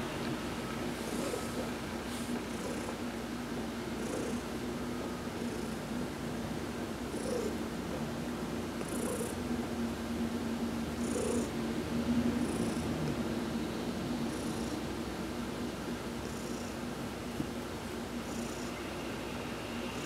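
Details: Heidi the cat purrs through a massage in the sun, November 19, 2020; an even, low, throbbing purr continues unbroken, while faint high bursts come and go at irregular intervals.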